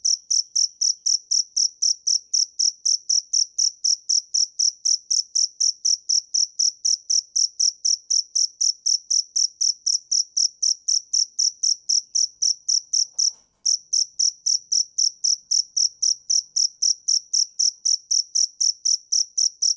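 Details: Cricket (dế mèn) chirping steadily, about four sharp pulsed chirps per second, high-pitched with bright upper overtones, one brief break near the middle, otherwise a clean, quiet background.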